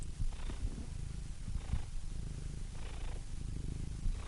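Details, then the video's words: A quieter, softer cat purr, with a grainy low rumble and gentle airy swells about every 1.2 to 1.5 seconds as the cat breathes in and out. "Cats Purring"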